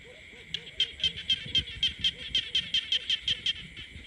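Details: Countryside frog chorus: sharp, high, clicking croaks repeated about twice a second in an even series, with soft lower wavering notes and a constant high background hum.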